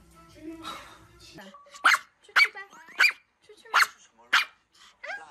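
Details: A dog gives a series of sharp, high barks, five or six evenly spaced about half a second apart, after a brief moment of voices and music at the start.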